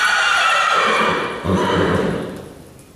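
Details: Loud, quavering whinny from Ryleigh the horse running around the arena, a high shaking call that slides downward and fades into lower snorting tones after about two seconds.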